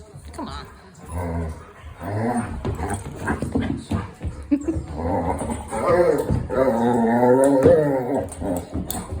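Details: A Vizsla makes playful grumbling, whining vocalizations during rough play with a Golden Retriever.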